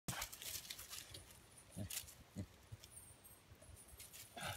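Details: A female beagle that barks only when scared gives a few sharp, separate barks at a deer, spaced irregularly a second or two apart, as if asking why it is there.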